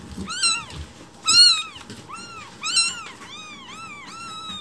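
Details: Morning food demand from rescued newborn kittens waiting for milk: piercing, bent meows, some long and wavering, several overlapping cries from more than one kitten, with soft rustling in the background.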